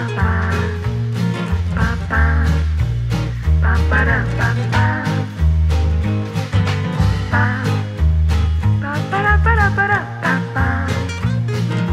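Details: Upbeat swing-style music with guitar and steady bass, no animal voices audible.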